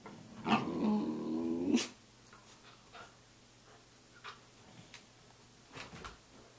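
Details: A Samoyed at six in the morning lets out one long, wavering, growl-like moan lasting over a second, followed by quiet with faint small clicks.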